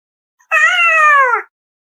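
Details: Pet cat named Apollo arguing with her human indoors: one clear, drawn-out meow lasting about a second, steady and tonal, then dipping slightly in pitch as it fades, with no other sounds around it.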